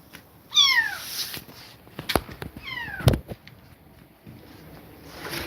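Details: Young kittens removed from a mother cat that attacked them give two loud, high meows with rich harmonics, each sliding down, about two seconds apart, amid soft knocks and handling sounds indoors.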